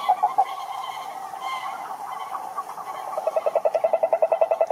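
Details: Toad croaks: a few loud pulses, then a softer murmuring chorus, ending with a loud, evenly spaced run of quick croaking pulses.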